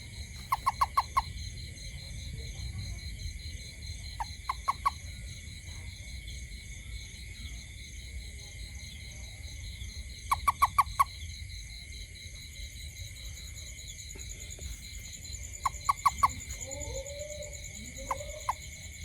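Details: At night around a home, a toad repeats tight clusters of three or four sharp clicks roughly every five seconds, with a continuous high-pitched insect drone behind and a few soft chirps near the end.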